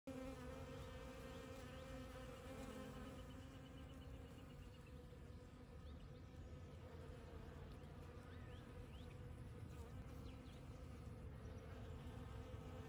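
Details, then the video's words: Bees foraging on desert blooms that appeared right after rain, on a Monday morning: steady droning hum of many wings with shifting tones, and faint high chirping bird notes in the background. "Desert Bees! Monday Morning Pollinators! Bees !!"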